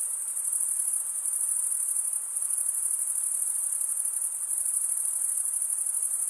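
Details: Summer night in the forest with a chorus of crickets: a continuous shrill trill, very high and even, rippling with quick pulses, with a slight dip in loudness near the start and again midway.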